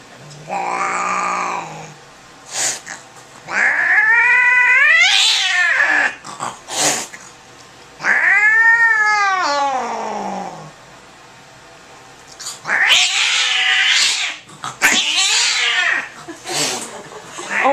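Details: Angry domestic cat freaking out during a vet visit, yowling and screaming in long harmonic wails that rise and fall, several drawn-out howls separated by pauses, with broadband hissing bursts near the end and brief human voices.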